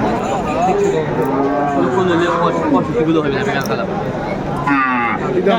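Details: Friesian and cross-bred bull calves at Aftabganj cattle market, Dinajpur, on 10 September 2024, during bargaining; several short, rising-then-falling lowing moos over a busy crowd with men talking nearby.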